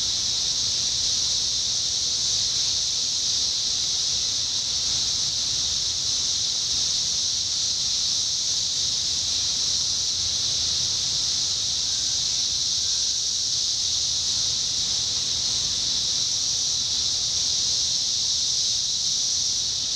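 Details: 17-year cicadas in Indiana, summer 2021: a dense, unbroken high shrill drone from a massed chorus holds perfectly steady throughout, with no pauses or pulses; only faint low background rumble beneath.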